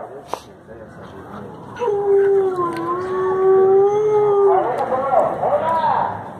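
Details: A captive gray wolf at an exotic animal exhibition at a fair in Ixmiquilpan, Hidalgo, Mexico, in 2019, gives a long, steady howl that wavers slightly and then breaks into higher, shaky notes.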